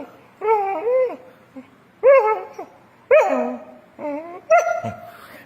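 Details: A pet dog acting out a playful begging routine for its owner, crying on cue. It gives five drawn-out, tonal whines, each wavering and bending in pitch, spaced about a second apart.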